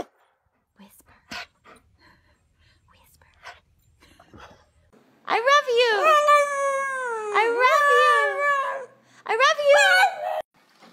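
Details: Pet dog indoors 'talking' back to its owner: a long wavering whine-howl that rises and falls in pitch for about three seconds, then a shorter second howl, after faint clicks and a quiet room.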